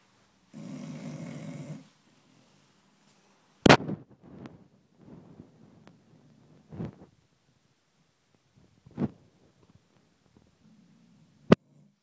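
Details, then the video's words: Oscar, a Chow Chow pet dog, asleep and snoring loudly indoors: one long, raspy, rumbling snore near the start, followed by quiet breathing and scattered sharp clicks and knocks in a small room. "Funny snoring dog"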